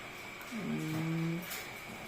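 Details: Scolded pet Shih Tzu in the Philippines, blamed for damaging a power cord, lets out a low, drawn-out, steady whining groan lasting under a second against a quiet indoor room hum.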